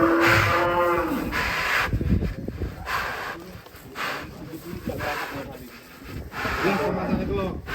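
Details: Raging cow breaking out of its pen in Indonesia; a short harmonic moo opens the recording, followed by broadband noise, thumps and voices.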